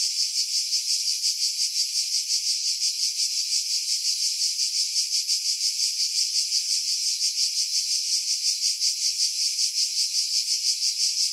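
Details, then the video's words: Cicadas calling from pines above the sea on Skiros Island, Greece, in July 2018, recorded with a Sony RX3 and external mic: a long, continuous shrill buzzing drone with rapid regular pulsing, wind buffeting edited out. "Cicada Sounds, July 2018 Skiros, Greece"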